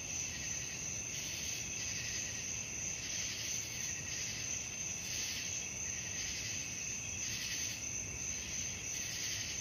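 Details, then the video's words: Crickets calling at night in a relaxing sleep soundscape: a dense, high-pitched shimmering chorus that swells in soft pulses about once a second over a faint low rumble. "suara jangkrik malam"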